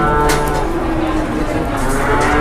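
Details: Large cattle in Indonesia, out of control and raging as it is unloaded from a truck, gives a steady, drawn-out low moo with strong harmonics throughout, over a background of outdoor noise.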